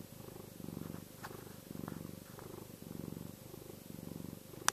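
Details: Soothing, contented purr from the pet cat Chester: rhythmic low rumbling in four or five breath-paced swells, faint soft ticks, and a sharp click at the very end.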